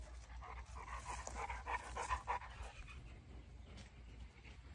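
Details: Large female Boerboel, a livestock and homestead protector, panting softly: breathy rhythmic bursts repeating roughly every half second to second, fairly low in level against a steady low background hum.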